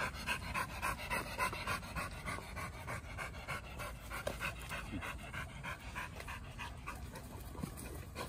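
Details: Samoyed panting while playing with other dogs (German Shepherd, Labrador, Border Collie) in a dog park: quick, breathy, evenly repeated huffs, about three and a half per second, over a steady low outdoor rumble.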